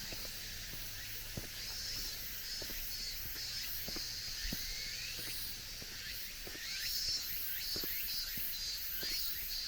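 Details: Steady high-pitched cicada drone in a mountain forest as summer ends and the air cools, with some wavering pulses near the top, over regular footsteps on a gravel forest track.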